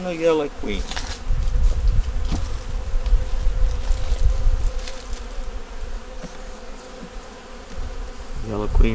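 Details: Honey bee nuc examined in winter, the yellow queen already up in the top box: soft, steady low hum of bees, with brief speech at the very beginning and end.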